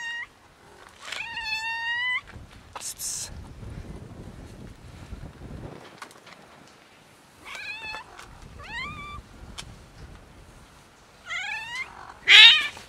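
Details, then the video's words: A female cat making weird noises when touched: several loud, bright meows with quavering, stepped pitch, repeated every few seconds, mixed with rustling and handling noises, ending in a sharp, harsh cry. "Meowing cat makes weird noises when I touch her"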